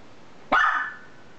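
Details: A single shrill, drawn-out yelping bark from a pet Miniature Schnauzer, with George (red collar) known for the highest noise in the household, sliding slightly down in pitch over a quiet background.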